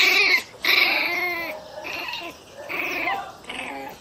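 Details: A one-month-old pinscher puppy gives shrill, squeaky yaps and whining growls in quick, uneven bursts, sounding angry.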